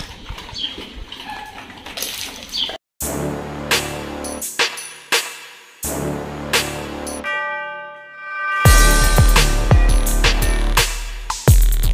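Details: Instrumental music with sharp percussive hits, sustained tones and a heavy bass section in the closing seconds; no animal voice is heard.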